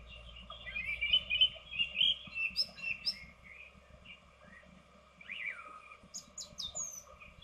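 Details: Two edible dormice inside a nesting box, seen on a webcam, give a rapid run of high, twittering squeaks and chirps, then a pause before scattered sharper squeaks return, over a steady low electrical hum.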